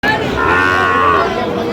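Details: Sahiwal bull moo at Aftabganj cattle market, Nabaganj, Dinajpur, Bangladesh, 23 August 2025: a single drawn-out harmonic bellow lasting about a second, with market chatter and voices around it.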